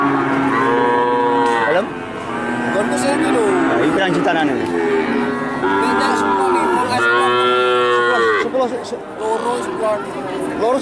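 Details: Cows at the Jatirogo animal market in Tuban, Indonesia, on a Friday morning market day; several long, loud, harmonic moos rising then falling, one after another, with buyers bargaining and crowd chatter behind.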